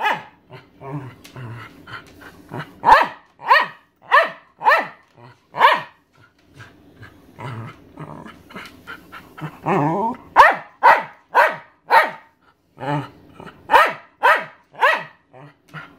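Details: Thirteen-year-old Welsh Terrier Maggie barking for her owner's dinner: bursts of sharp, rapid barks, about two a second, with brief pauses and low grumbling sounds between runs.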